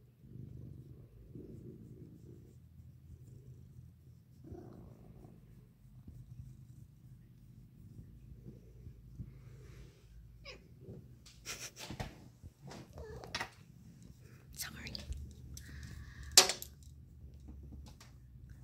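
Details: Cat purring in the sun, a soft low rumble running beneath frequent loud clicks, rustles and handling noises that grow busier in the second half.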